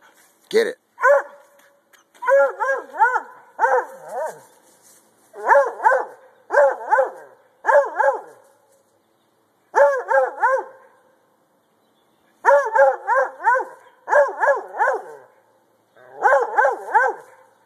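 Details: A Treeing Walker Coonhound, treeing and jumping at a tree while its handler urges it on, gives loud, ringing barks in quick bursts with short pauses between.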